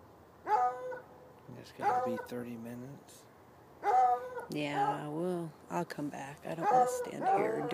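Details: Chained hounds bay at night beside an irrigation ditch, recorded from roughly ten yards away; ringing barks come in bursts, some drawn into wavering howls, with a human voice talking low underneath.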